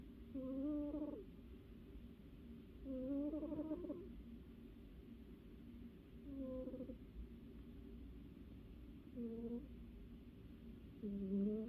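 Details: A sleeping pet cat, cozy and dreaming, snores indoors: tonal, slightly whistling breaths with a low hum and faint overtones, each lasting about a second and recurring roughly every three seconds in a quiet small room.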